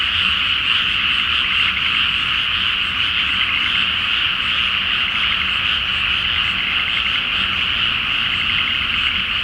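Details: Frog chorus at night in a flooded rice field before planting, full moon in Japan; dense continuous pulsing croaks merging into a steady roar, with faint low hum beneath.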